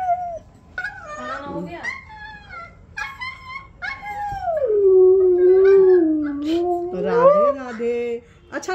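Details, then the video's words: A pet husky named Oreo, asked to repeat "Radhe Radhe", breaks into a sliding, bending howl that dips and rises over several seconds, mixed with a person's encouraging voice and brief whines. "Oreo is saying Radhe Radhe"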